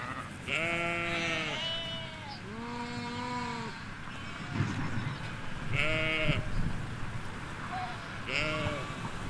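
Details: Ewes and lambs grazing in a Hampshire field, captured on stereo M5 microphones halfway along a hedge: a run of about five bleats, long tremulous ones at first, then shorter sharper calls, over faint distant rumble.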